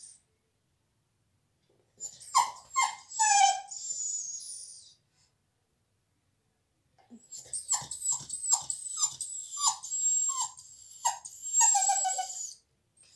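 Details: Bella, a dog kept out of the salon while a visitor is there, cries in two bouts of short, high, quavering whimpers, rising and falling in quick succession with breathy squeaks between them.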